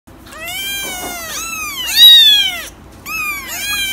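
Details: Domestic cats meowing: a run of high, bright meows, each arching up then sliding down, with two calls overlapping near the middle, a loud peak around two seconds, and a short pause before two more meows.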